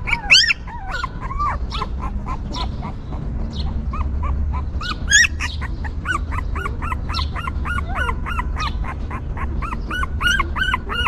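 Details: A stray mother dog's newborn puppies cry in overlapping bursts: high, rising-falling whines, first scattered and then a dense run of rhythmic squeaks, with a low background hum.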